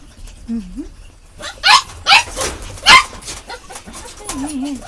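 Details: Puppies giving a few sharp, high yelps in the middle seconds, each a brief bright burst, with a low wavering tone before and after, possibly a human voice, over quiet background.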